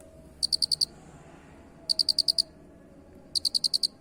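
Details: Unusual cricket call in three bursts of five piercing high pulses each, the bursts spaced roughly one and a half seconds apart, over a quiet low hum.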